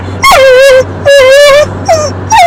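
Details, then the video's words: Female pet dog "talking" on command for her owners: drawn-out yowling vocalizations, each starting with a high yip that drops into a wavering, level moan, four phrases in under three seconds, a person speaking affectionately around them. "talking dog"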